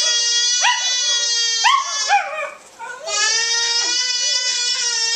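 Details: Pet Welsh Terrier howling along with a baby indoors. It joins in whenever the baby screams or yells. Long, steady, tonal howls with rich harmonics, interrupted by short rising yelps and cries, then one sustained howl to the end.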